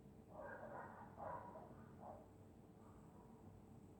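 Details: Winter night in Scotland with a dog snoring in its sleep; two broad, rough breaths close together, then a shorter snort and a fading faint one, over a low steady hum.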